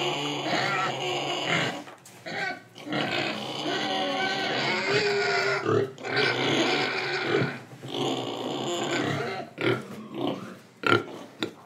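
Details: Indonesian pig, breathing and eating, gives long harsh rasping grunts in sustained bouts broken by brief pauses, ending in a few short separate snorts.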